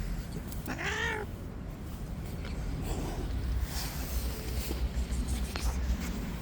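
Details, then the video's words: An angry white street cat in attack mode gives one short harmonic meow that rises and falls, followed by low background rumble and faint clicks, after a man calls to it softly in Turkish. "Angry White Cat in Attack Mode"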